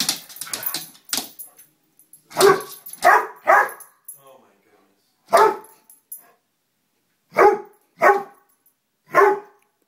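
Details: Lollie, a pet dog, barking at a moth: sharp bark bursts, several in quick succession near the start, then single and paired barks spaced about a second apart, with short gaps of silence between.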